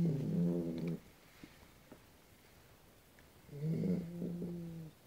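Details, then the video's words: Sleeping Dogue de Bordeaux gives two low, rattling snores about a second long, separated by a quiet gap of roughly two and a half seconds. "dogue de bordeaux snoring"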